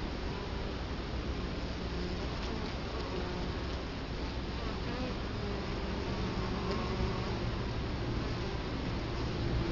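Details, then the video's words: Steady droning of Italian honey bees at a hive entrance in Colorado Springs, October 2011; dense, even hum throughout with occasional faint tonal whines from bees moving past the camera. "Bee hive Entrance"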